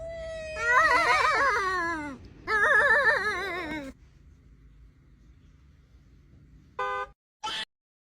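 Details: A cat gives two long, drawn-out yowling meows, each wavering up and down in pitch for over a second, the first sliding lower at its end; after a quiet stretch come two brief, sharp sounds.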